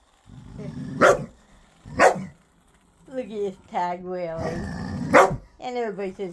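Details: Ten-year-old dog playing with his new ball, still playful like a puppy: three loud, sharp barks about a second apart, followed by tonal, drawn-out voiced sounds and a person talking.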